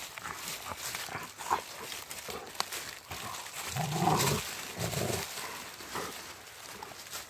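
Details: Two Rottweilers playing in a friendly way on a walk in the woods. Rough, low growling bursts rise mid-clip, with two louder pulses close together, over rustling and scuffling from the dogs' play.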